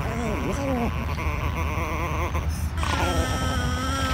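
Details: Tiny female chihuahua refusing to share her treats, giving drawn-out, wavering, moaning grumbles that bend up and down in pitch, then a higher, steadier whine near the end over a constant low hum.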